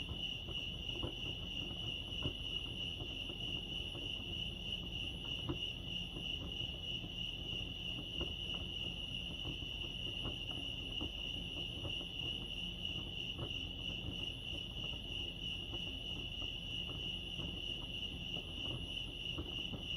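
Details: Crickets chirping at Lake Arrowhead, California: a steady high, finely pulsed trill running throughout, with quiet scattered low clicks and rustles beneath.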